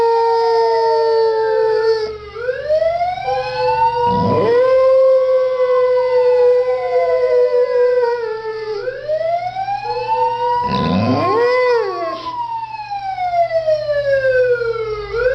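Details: Dog presented as talking, howling in long sliding tones that rise and fall, with drawn-out held notes broken by short gaps, harmonics stacked above, inside a small room.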